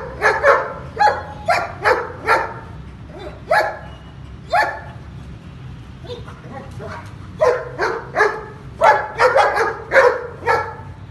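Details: Pakistani long-coated German Shepherd male barking in uneven bursts of loud woofs, spaced-out single barks midway, then a fast closing volley, low steady hum behind.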